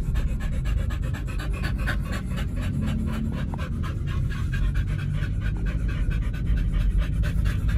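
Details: At a dog hotel, Oliang or Nomyen, pets fed a raw meat diet, pant continuously in quick, even breaths, roughly four per second, over a low steady background rumble.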